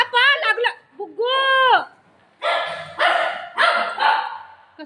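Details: Shih tzu playing with a ball together with a golden retriever, giving a run of four sharp, noisy barks about half a second apart, preceded by drawn-out tonal voice sounds and overlapped by people talking in Marathi.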